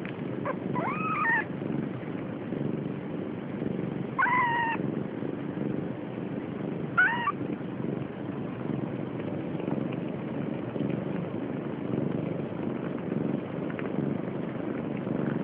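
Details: Siamese kitten, almost three weeks old, stealing milk from its sister; three high, wavering mews with rising-then-falling pitch near one, four and seven seconds, over a steady low rumbling background.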